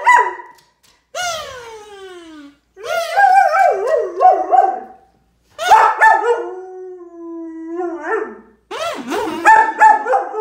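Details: German Shepherd dog reacting to a kazoo, a kids' toy, with a series of sliding whines and yelping howl-like cries in bursts separated by short pauses.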